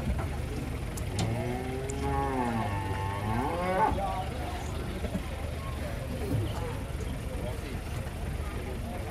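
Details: Jumbo cattle arrive by truck at an Indonesian market ahead of Lebaran. One low bellowing moo lasts about two and a half seconds, wavering and then rising at the end, over steady vehicle noise and scattered voices.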